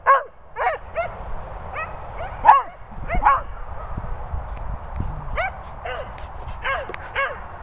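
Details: Vocal Cocker Spaniels give a run of sharp, yelping barks, some doubled, spaced irregularly over several seconds, against low rumbling background noise.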